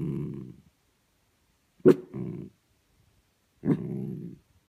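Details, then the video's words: Miniature dachshund asleep indoors, snoring in low, grating pulses under a second long, with two sharp snorting onsets; quiet between breaths. "Snoring Mini Dachshund"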